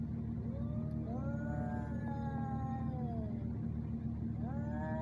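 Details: Two fighting male cats in Al Rahmanya, Sharjah, UAE: a long low drawn yowl gliding slowly downward, followed by a fresh rising wail at the end, with heavy low rumbling noise underneath.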